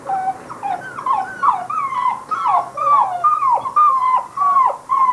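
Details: Basset Hound puppies whimpering: a steady run of high, thin whines, each wavering and sliding up or down, following one another roughly twice a second with hardly a pause.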